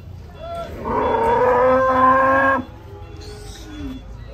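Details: Cattle during loading onto a truck: a long, loud, harmonic moo lasting nearly two seconds, level in pitch and then cut off abruptly, followed by fainter low calls and background noise.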